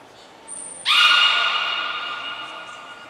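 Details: Belugas Gray, Nana and Mirai in a training session at Port of Nagoya Public Aquarium, Japan, on 6 August 2023. A thin high whistle note is followed by a sudden loud, harmonic-rich tonal call that holds steady for about two seconds and slowly fades.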